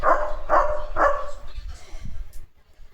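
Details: A German Shepherd named in the clip watches a sparrow's nest as the bird flies about, then gives three deep, full barks about half a second apart and falls quiet as soft voices and room noise carry on.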